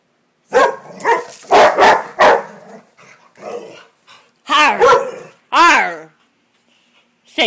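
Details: Female Rottweiler reacting to a frog: a woman speaks first, then two or three sharp barks with falling, harmonic-rich tones follow in quick succession, and a final short bark cuts in at the end.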